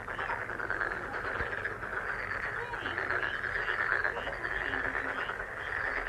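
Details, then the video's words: Frogs croak together in a busy, unbroken chorus of quick pulsed calls, with a single soft thump early on. "행운 개구리소리 The sound of a lucky frog"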